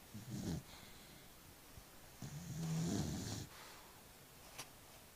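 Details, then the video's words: A sleeping dog snoring: two slow, rumbling low snores with a breathy hiss on top, the first brief and the second longer and louder, lasting over a second, separated by a quiet pause, and a faint click near the end. "snoring dog"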